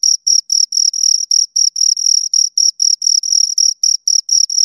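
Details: Pair of crickets stridulating at close range: sharp, high-pitched chirps in a fast, slightly uneven pulse of roughly four bursts per second, some bursts running together, no other sounds present.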